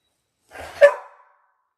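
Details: Ten-day-old Labrador Retriever puppy, one of a litter of six born January 18, 2022, on a puppy cam, gives a single short whining yelp that swells and then fades within under a second, with silence before and after.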